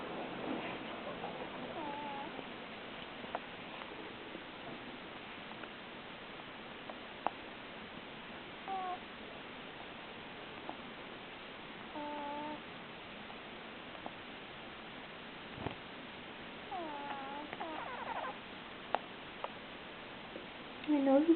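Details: Sleeping cat with a stuffy nose snoring: soft nasal squeaks and thin whistles come in short bursts with its breaths over a quiet background, ending in a louder, higher squeak.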